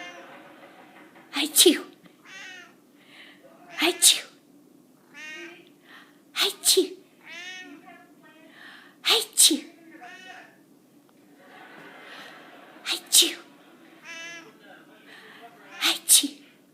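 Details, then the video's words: A domestic cat in a sneezing fit: loud, hissing double bursts come every two to three seconds, some spaced wider. Wavering, voiced sounds like people's voices fill the pauses between sneezes. "Crazy sneezing cat"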